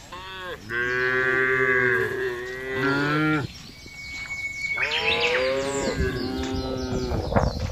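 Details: A large herd of cattle being driven across a wide grassy pasture, lowing calmly: several long harmonic moos overlap, one after another, with a brief quieter gap midway before more bellowing resumes.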